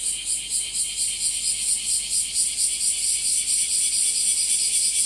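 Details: Bear cicada, locally called washiwashi, singing in summer as its numbers grow, heard in trees and also in grass; a loud, dense rasping buzz pulsing about twice a second, steady and continuous throughout.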